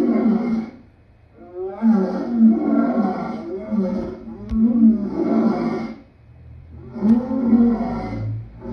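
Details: Lion roaring in long, throaty, moaning bursts, four drawn-out calls with brief pauses and a couple of faint clicks in the background.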